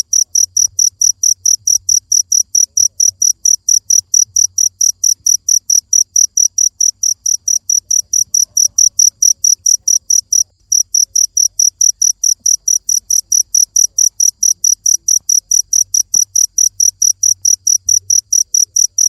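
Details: Cricket chirping loudly in a steady series of short, high chirps, about four per second, with a brief break near the middle; faint low rumble underneath.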